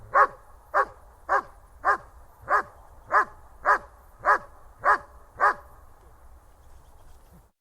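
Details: German Shepherd barking: ten sharp, deep barks, one roughly every half second in a steady rhythm, then a brief quiet tail with faint background hiss.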